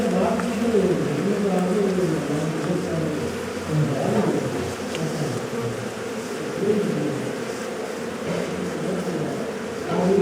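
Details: Honey bees swarming around a wild hive as it is harvested for honey by bushmen using primitive methods; dense, continuous droning buzz with many overlapping wingbeat tones wavering in pitch, swelling and fading, with faint human voices underneath.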